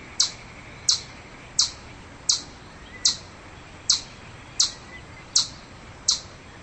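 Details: Chipmunk calling with nine crisp, very high chips in a steady rhythm, roughly every 0.7 seconds, against faint background hiss.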